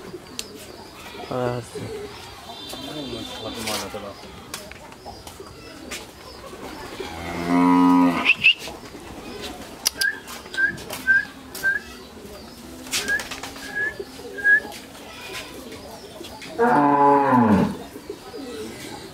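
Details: Fourteen-month-old Friesian heifer calves from Pabna, Bangladesh, low two separate deep moos about nine seconds apart, the second sliding downward, with small bird chirps and clicks in the background between calls.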